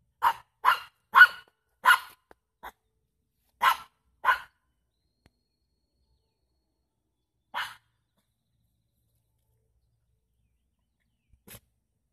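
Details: A Feist dog barks sharply and fast at a fox squirrel it has treed in the morning, then falls to occasional single barks.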